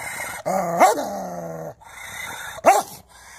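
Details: Angry dog giving a steady, low, voiced growl that ends in a sharp rising bark. A short silence follows, then a second snarl rises into another abrupt bark.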